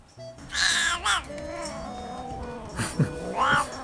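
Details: Black-and-white, Dalmatian-like cow-patterned male domestic cat at a rescue cat cafe in Namba, Osaka, often caged, giving his excited dog-like 'wan-wan' bark. Two bursts of short, harmonic, yowling calls, with a woman talking softly between them.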